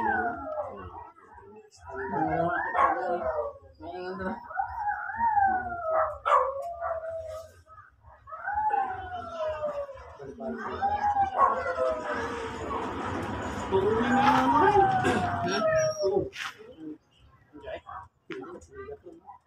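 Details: Miniature Dachshund at a stud service breeding at Guesang, Mangaldan, whimpering in quick broken yelps that rise and fall, then a longer wavering cry over rustling noise, fading to near quiet at the end.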